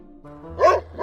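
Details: Excited dog giving a single short, sharp bark, the kind dogs make when having fun with a new toy, a neighbor dog, hiking or swimming, set against steady background music.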